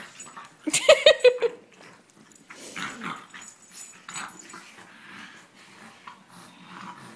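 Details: French and English Bulldog mid-wrestle in a playful second round: a short run of sharp, pitched yips near the start, followed by scattered grunting snorts and huffing breaths.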